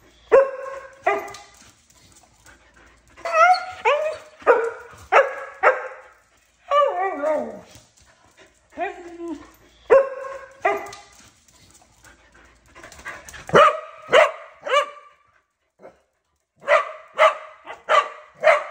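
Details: Corgi and husky, two loud dogs, barking in bursts of rapid barks and yowling, falling cries. Short pauses separate the bursts, and quick, high, sharp yips cluster near the end.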